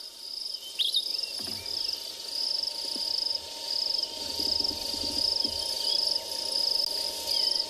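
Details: On a sunrise game drive on 19 March at Tswalu Kalahari Reserve, South Africa, a crested grasshopper makes its call, a high, grating, cicada-like buzz that pulses steadily without pause.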